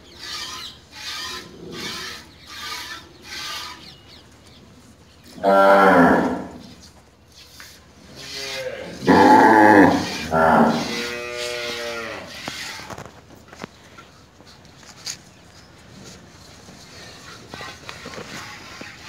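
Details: A Tharparkar cow being milked gives three long, deep, harmonic moos in the middle, one after another. Before them come short, rhythmic bursts like milk squirting into a pail, with faint handling sounds afterwards.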